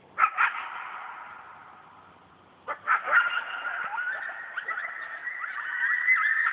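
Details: Coyote pack at night in a yard: one animal howling before the whole group erupts; a long sustained howl, then a burst of overlapping yips and wavering howls rising higher in pitch and building in loudness.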